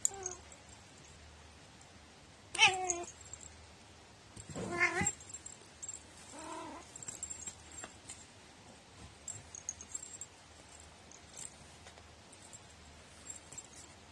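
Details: Pet cat with a very quirky, unusual meow, dated 21 April 2018: a sharp wavering cry, then a longer strained, warbling meow a couple of seconds later, and a softer low one after, with quiet gaps and faint household clicks.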